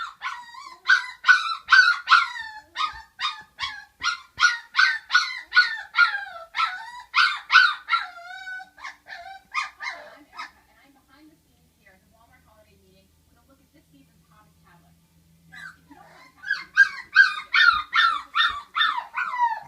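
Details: A litter of five-week-old puppies from Flute, girls and two boys, cry in a rapid run of high, downward-sliding yelps, falling quiet for several seconds before a fresh burst of yips resumes.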